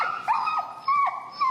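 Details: Finn, an extremely vocal dog in recall training with an e-collar in Chicago, whines in high, tonal whimpers that rise and fall, three drawn-out cries in quick succession with a faint overtone above.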